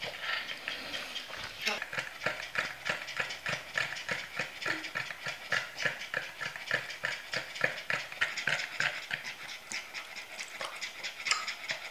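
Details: Worn-out Boston Terriers back from a short walk pant steadily, about three rasping breaths each second in a regular pulsing rhythm.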